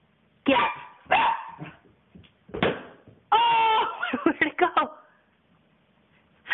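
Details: Puppy mystified by a popped balloon, indoors: several loud barks and yelps with a brief whining, tonal element in the middle, mixed with a person's voice speaking nearby.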